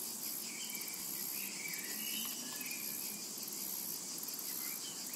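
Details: In a summer meadow, cicadas fill the air with a continuous shrill buzz and throbbing high pulses; faint, brief bird twitters drift in and out beneath it.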